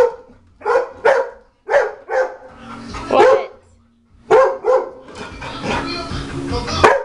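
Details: Dog barking at a china cabinet indoors: short sharp barks in pairs and bursts, some rapid doubled, separated by brief pauses, with background noise and possibly a person's voice toward the end.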